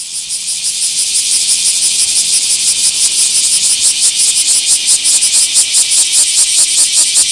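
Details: Bear cicada singing in a small park on 24 July 2026: a loud, harsh, high buzzing drone pulsing rapidly about two to three times a second, steady throughout with no other sounds.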